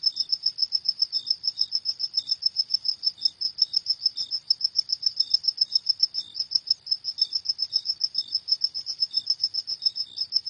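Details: Cricket chirping at night, a rapid steady train of high, bright pulses about four per second, with softer lower chirps slipping in between; nothing else audible.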